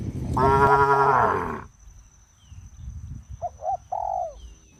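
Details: A cow on a traditional village farm, as the herd jumps off a sidewalk into the fields, gives one long, loud, rough moo lasting over a second, followed by quiet and a few short whistled bird notes.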